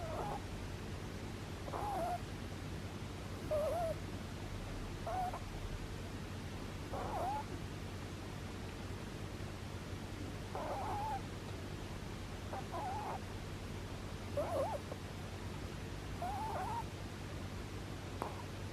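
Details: Sleeping rabbit snoring: short whistled squeaks that bend up and down, repeating roughly every two seconds over a steady low indoor hum.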